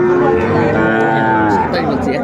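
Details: Small bull calves at a cattle market in Comilla, Bangladesh, on 6 January 2025, being bought by a farmer. One steady, fairly high, harmonic-rich moo holds for about two seconds. Market voices and faint background music come through toward the end.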